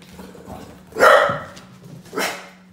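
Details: Two quick yapping barks from an excited Brussels Griffon puppy, the first louder and fuller, the second about a second later, with a faint low hum.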